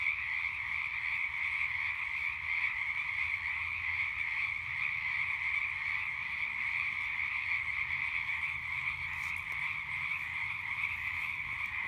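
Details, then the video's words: Frogs calling in a night chorus beside a campfire: a dense, unbroken trilling drone with two steady pitch bands, one high and one lower, holding level throughout, with a single faint crackle from the fire near the end. "Relaxing Sounds of Frogs and Campfire at Night"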